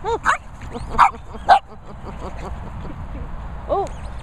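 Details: Shih Tzu brothers Benji and Buster playing wildly, giving a few high yipping barks with rising-falling pitch, spaced about half a second apart, then one more after a pause, over low rumbling background noise and a person's voice.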